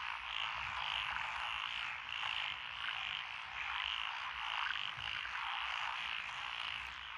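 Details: A June 2021 chorus from lotus rice fields in Echizen, Fukui, Japan, where tree, pond, wrinkled, Schlegel's green and forest green tree frogs call; a steady wall of trilling croaks swelling and fading in waves.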